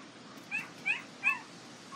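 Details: Three clear high squealing whimpers from Border Collie puppies of the Nell x Skeet litter, International Peace Gardens, August 12, 2018, each a short arched whine about a third of a second apart, with another starting at the end.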